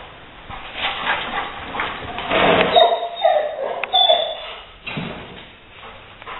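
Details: Leo the Rottweiler hunting a gray squirrel that got inside, later evicted through an open window; a cluster of high whining yelps in the middle, surrounded by constant clattering and shuffling sounds.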